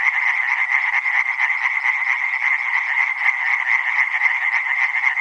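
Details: Many tree frogs calling at once: fast, grating pulsed notes pile into a loud continuous din with slight rhythmic flutter, and no birds, wind or voices.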